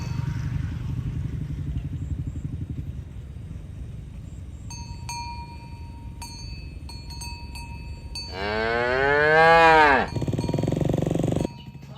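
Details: Morning herding of tame cows toward their pen: cowbell clinks ring out over a low rumble, then one long moo rises and falls over nearly two seconds, trailing off into more rumbling.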